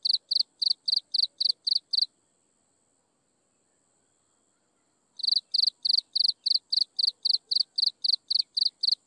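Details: Insects chirping at sunset: high, even pulses repeated about four times a second, a gap of silence for about three seconds, then the steady pulsed chirping resumes with a faint continuous high hum behind it.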